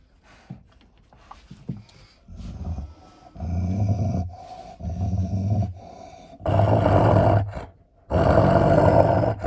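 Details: Six-year-old German Shepherd Nika, in estrus, showing food aggression over bones beside Malinois Linda: low, rough growls in five bursts, swelling louder toward the end, with short quiet gaps between them.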